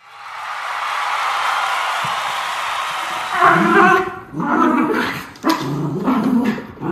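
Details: Two Miniature Schnauzer brothers, puppies from Aroostook County, Maine, recorded November 27, 2021, keep playing with two toys; after about three seconds of steady background hiss come several rough, harmonic growls in short bursts.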